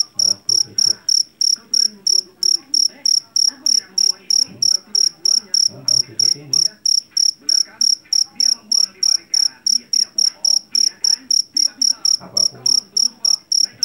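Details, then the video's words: Loud, high, ringing chirps from a jangkrik jeliteng, the Javanese field cricket caught in rice paddies. Pulses repeat steadily about three times a second throughout, over a low murmur of background noise. "SUARA JANGKRIK PENGUSIR TIKUS SUARA ASLI"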